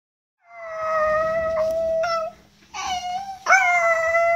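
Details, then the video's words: Chihuahua dog 'singing', doing vocal exercises: sustained tonal howls with rich harmonics, a long steady note then rising renewed howls after a short pause. "Chihuahua qui chante !!!"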